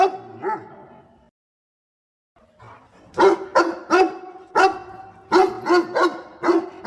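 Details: A dog that helps its owner pick water spinach gives a soft whine, falls silent, then fires off a string of loud, abrupt barks, some doubled, at an uneven pace.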